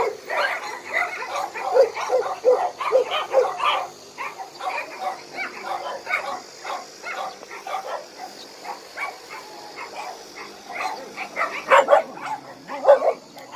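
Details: Abandoned dogs kept at Hanna's shelter in Daegu keep up a long barking chorus: many voices, quick clustered barks, a slight lull near the middle, then louder bursts again toward the end.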